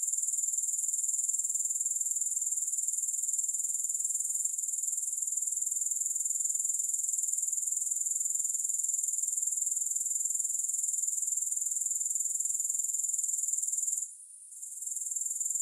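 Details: Grasshoppers in a continuous, shrill, very high-pitched trill, steady and finely pulsed, with no music; the chorus briefly cuts out near the end, then returns.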